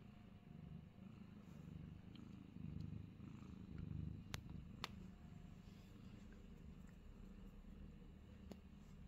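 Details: Fat Boy, a Himalayan Persian cat in New Zealand, purring: a steady low rumble that swells around the middle, with a few faint clicks and small knocks over a quiet indoor background.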